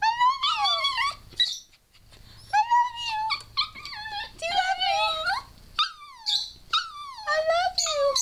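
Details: Indoors, the female dog Scarlett makes 'talking' sounds as if saying 'I love you': rising and falling whiny, moaning phrases, several short bursts in a row, with high squealing from a person urging her on.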